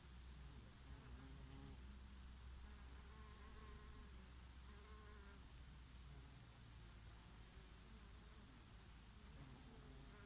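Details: On a breezy summer day, bees graze on oregano flowers with the odd bumblebee: a constant deep hum overlaid by clear, sliding buzz notes as insects approach and leave, over quiet wind.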